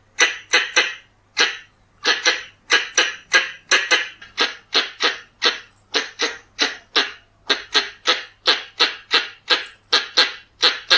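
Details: Pallas's squirrel call played to lure animals. Loud grating chatter notes follow one another in quick doubles and triples almost without rest, and a few faint high squeaks appear between them.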